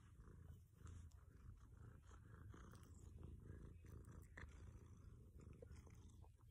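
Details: Low continuous rumbling purr from a 13-year-old domestic cat eating broccoli, steady throughout, overlaid by sharp wet chewing and crunching clicks.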